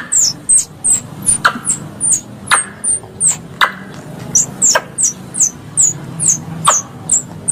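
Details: Squirrel sounds meant to lure squirrels for hunting: steady series of high, downward-sliding squeaks about twice a second, interspersed with sharp broadband clicks over a low hum.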